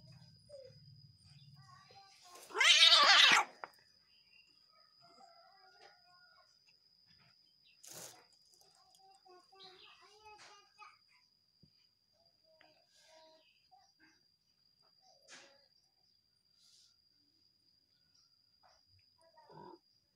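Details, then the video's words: Cat angry at its partner: one loud, harsh, broadband yowl lasting about a second early on, then long stretches of near quiet with faint scattered knocks, soft voices and a steady high electrical whine. "Ekspresi Kucing Marah Sama Pacarnya"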